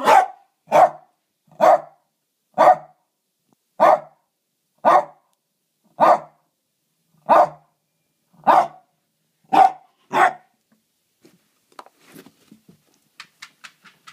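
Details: Archie the dog barking at a stone indoors, loud sharp barks repeated about once a second, eleven in a row, followed by fainter rapid clicking and tapping sounds.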